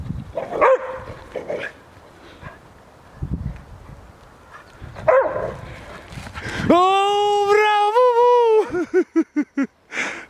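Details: Šarplaninac dog named Bubu, teasing a wolf: speech at first, then a sustained wavering tonal howl-like note with rich harmonics, followed by a rapid series of short yips.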